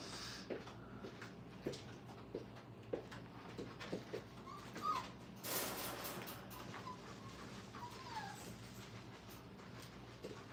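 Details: Five-week-old Brittany puppies in a kennel crate during crate training: faint, scattered whimpers and thin high whines, two rising whines near the middle and end, with soft knocks, clicks and a brief rushing noise burst.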